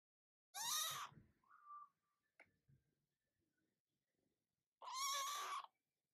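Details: A cat gives two loud, harmonic meows about four seconds apart; the first slides into a short, lower tone, followed by a faint click and near silence.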